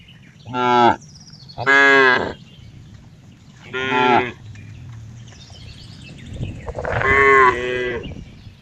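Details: Cow producing four loud moos, the first three short and clipped, the last longer and wavering, over a low steady background hum.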